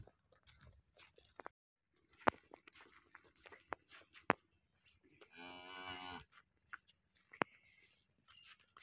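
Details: Cow at Muhammad dairy farm, Chak Hayat Pur Jhawarian, Sargodha, Pakistan, lows once, a steady, buzzy moo of about one second, set among sharp clicks, taps and handling sounds in a quiet barn.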